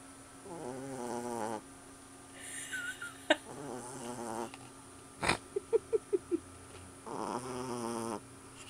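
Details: Small sleeping puppy snoring loudly indoors: rasping, buzzy breaths about a second long come in slow cycles, with a run of short clicking snorts between them and a steady electrical hum behind.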